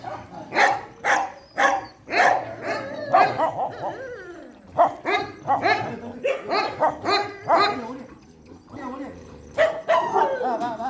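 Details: Shelter dogs barking at night feeding time: a dense run of sharp, rapid barks and yips with a short lull near the middle, then more barking and a few whiny tones.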